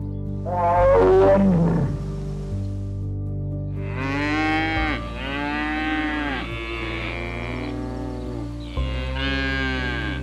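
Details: A cow gives a run of deep, wavering moos that repeat one after another in the second half, following a brief higher sliding cry at the start, over steady background music.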